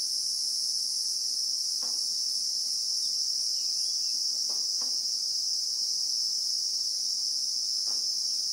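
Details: Christmas beetle (Anoplognathus) in South African bushveld, recorded in real time: a steady, very high-pitched shrill hiss holds without a break throughout, with a few faint soft ticks underneath.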